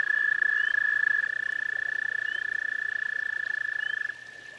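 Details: Garden pond toad giving a sustained, rapidly pulsed high trill that stops abruptly after about four seconds, leaving a quieter trill in the background and faint repeated chirps above.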